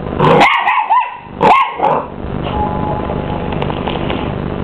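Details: Young Miniature English Bull Terrier, twelve weeks old, facing down a hoover: two or three quick, strained barks in the first two seconds, then only the steady hum of the vacuum cleaner.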